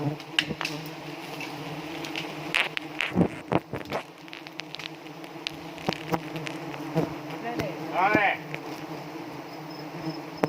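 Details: A swarm of honey bees, stinging as they are set up at Pucok Krueng, South Aceh, Indonesia, keeps up a continuous humming drone. Clicks and knocks recur throughout, and a brief vocal sound appears late on.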